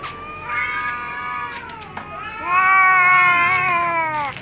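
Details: Cats meowing pitifully at meal time; loud, rich, drawn-out meows, one dipping down then another long strong wail swelling and falling slowly, with a few sharp clicks.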